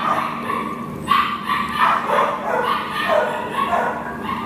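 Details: Nala, an American Pit Bull Terrier awaiting adoption, recorded 10/1/2015: near-continuous high yips and whining barks run together with little pause, louder bursts after the first second, over a steady low electrical hum.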